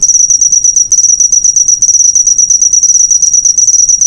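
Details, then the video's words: Cricket sound serving as master recording for cage birds: a shrill, rapidly pulsing trill held steady throughout, with brief tiny breaks and soft low noise underneath. "Masteran burung suara jangkrik mewah yg paling di cari"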